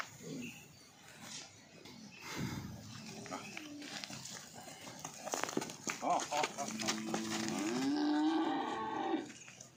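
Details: Cow on a dairy farm in Odisha: after a stretch of people talking and handling noises, a long, deep, drawn-out moo rises and holds near the end, with voices still audible around it.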